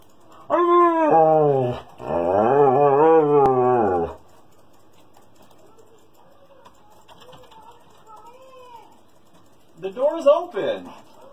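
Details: Indoor Siberian Husky throwing a tantrum for attention while its owners play a computer game: two long, loud, wavering howl-whines in quick succession, then quiet, low grumbling vocal sounds and a final rising whine burst near the end.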